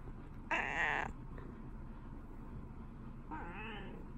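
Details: Indoor female cat saying good morning to her owner, a Shiba Inu also in the household; two meows about three seconds apart, the first short and bright, the second softer and slightly rising, in a quiet room.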